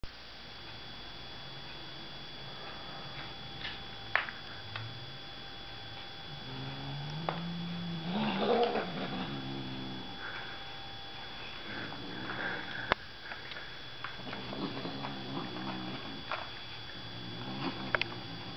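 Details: Abyssinian kitten growling when his toy is taken away, low rumbling growls with harmonic bands rising and falling from about seven seconds onward, between quieter stretches with clicks and handling noises indoors.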